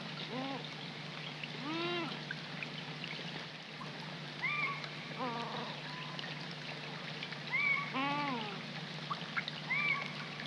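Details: Young coypus crying at night beside a pond in the rain, March 2020: repeated arched, whining cries rising then falling, some doubled, spaced a few seconds apart, with short high whistled notes between, over steady rain hiss and a low hum.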